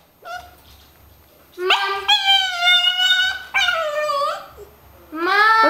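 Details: Pet dog "talking" indoors with its owner, giving drawn-out tonal whines and howls in three separate bursts, each one a steady, slightly wavering note that falls at the end, with a woman's voice speaking softly between them.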